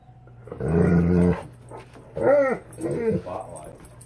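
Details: Alaskan Malamute reacting to a played Bigfoot recording, giving a low, rough, moaning rumble, then two short arched woo-woo vocal sounds, with a steady background hum.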